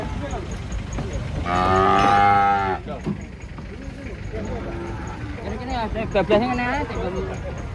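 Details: Giant aggressive bull being unloaded from a truck lets out one loud, drawn-out, richly harmonic moo lasting over a second. Softer, shorter lowing from other cattle follows, over background rumble and faint voices.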